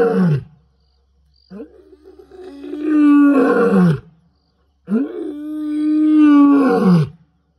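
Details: Male lion (Panthera leo) of the N'waswishaka coalition gives long, deep, moaning roars that swell and fade out of the darkness at night, territorial advertisement while moving steadily on patrol.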